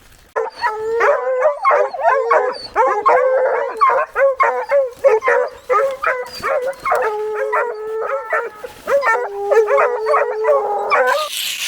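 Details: Young female blue coonhound pup on a cold December night raccoon hunt bays at a treed raccoon, only her second game-holding tree, with long, drawn-out bawls, repeated and overlapping.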